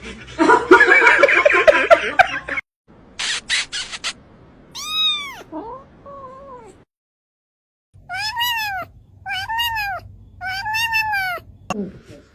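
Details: Domestic cat meowing in a house: a series of clear arched meows, rising then falling, several in quick succession, after an opening stretch of loud noisy speech and rustling.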